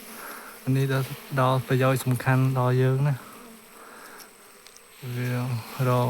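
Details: Bees at a nest being searched by hand for the queen, giving a steady low hum that holds for about two seconds, then breaks off and returns.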